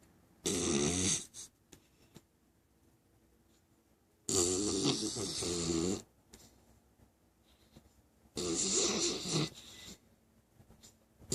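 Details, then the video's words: Six-month-old English Cocker Spaniel puppy, Sir Archie Mauller III, snoring while asleep: three raspy, fluttering snores, each about a second long, repeating roughly every four seconds with near silence between. "Puppy Snoring."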